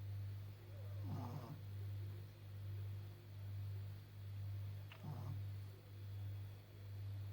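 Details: Asleep and snoring, blind 14.5-year-old flat-faced Pekingese Maggie gives deep, even, low-pitched rumbles pulsing about every 0.9 seconds, with two brief raspy snorts mixed in.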